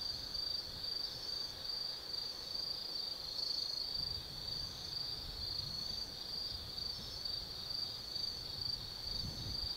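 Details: Night chorus of autumn insects in the forest at Tsukimi no Mori, Nannō-chō, Kaizu, Gifu, Japan, overlooking the Nobi Plain: continuous shrill high trilling with a rapid pulsing texture, over low rumbling noise that rises briefly now and then.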